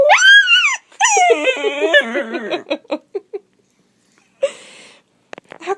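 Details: Pet Dachshund reacting to a sound that drives him nuts: a loud arched whine, then a rapid wavering run of yips that fades into short separate whimpers, with a brief burst of noise near the end.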